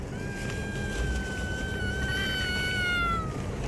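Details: A stray cat being fed gives one long, drawn-out meow of about three seconds, a steady tone with rich overtones that lifts slightly before fading, over a constant low rumble of background noise.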